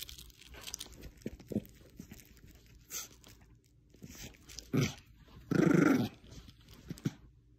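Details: A female Bichon Frise playing tug of war with a little stuffed squirrel gives short, low, rumbling growls in bursts amid crunching noises.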